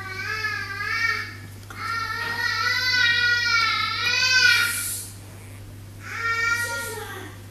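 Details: Newborn dachshund puppies from a litter of eight (5 males, 3 females) born 5 May give drawn-out, quavering whines that waver up and down in pitch, three cries of varying length, over a low steady hum.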